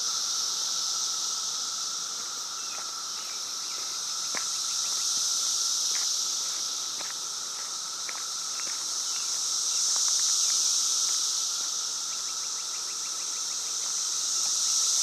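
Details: Cicadas swarming a yard in Virginia during a 2013 emergence: a loud, continuous high-pitched shrilling chorus that swells and fades in slow waves, with footsteps and faint ticking noises as someone walks around.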